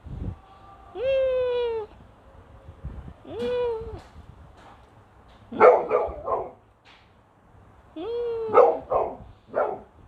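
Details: Pet dog named Rocki, breed given as Gokden, barking very loudly inside a house: drawn-out whining tones alternate with clusters of short, harsh barks, roughly every few seconds, with a faint low hum beneath.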